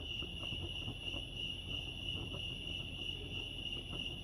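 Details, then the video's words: Short stretch of crickets chirping by Lake Arrowhead, California: a thin high-pitched pulsed trill held steady throughout, with soft low rumbling and light clicks beneath. "crickets chirping lake arrowhead"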